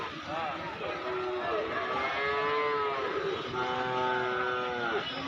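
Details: Cattle at Basunia Hat livestock market in Domar, Nilphamari district, Bangladesh, during nonstop rain on July 20, 2026: several overlapping drawn-out moos with arching, rising-then-falling tones through the clip, over a steady hiss of rain and market chatter.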